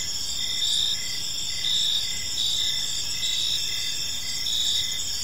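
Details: Crickets sing in a serene park in the evening. High overlapping trills hold steady while a lower cricket repeats short chirps about once a second. A calm, insect-only soundscape.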